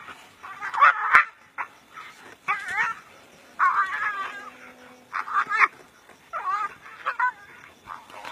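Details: Brown hyena fighting another brown hyena in the African bush: bursts of harsh, wavering yelps and squeals, irregular and clustered, with short quiet gaps between outbursts.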